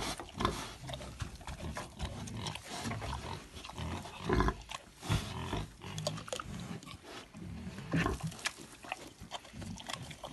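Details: A wild boar gives deep, rough grunts and snorts in an uneven string, with a person speaking briefly.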